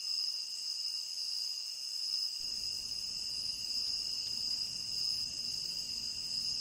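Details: Crickets of a tropical rainforest ring out in a steady, high, multi-toned chorus with no gaps; a soft low rumble joins in after about two seconds while the chirping stays unchanged.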